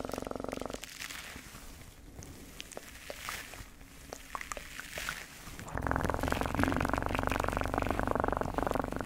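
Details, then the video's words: A cat's deep, pulsing purr opens and then returns strongly for the final few seconds, with a quieter stretch of scattered soft clicks and faint rustling in between. "Best PURRING sounds"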